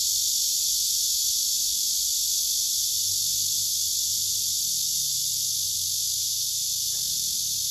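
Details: Singing male cicada on a tree trunk beside rival cicadas: a dense, steady high buzz throughout, over a low background rumble and a brief knock near the end.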